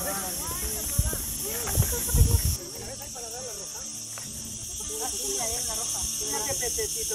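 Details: Cicadas keep up a steady, high, hissing buzz on a sunny day by water with surface-feeding fish in Valencia, Spain, while music and voices play underneath.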